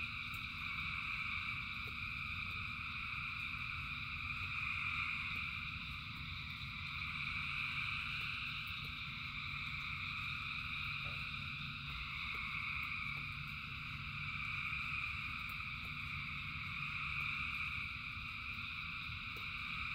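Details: Frogs by the thousands sing through rainfall, their calls merging into an unbroken shimmering trill layered in high bands, slightly swelling and fading, over a constant low roar of rain.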